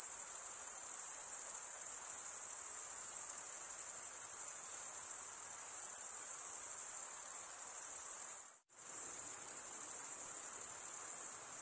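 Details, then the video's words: Crickets chirp by wing stridulation in a constant high shrill ringing that drops out abruptly for a split second near the nine-second point, then resumes unchanged. Faint hiss beneath. "cricket sound"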